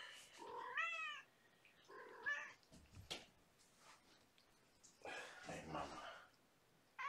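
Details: Young kittens, part of a five-kitten litter with their mother, at bedtime on 2018-05-28: a few thin, wavering high mews, some rising then falling, separated by quiet gaps and soft handling noises.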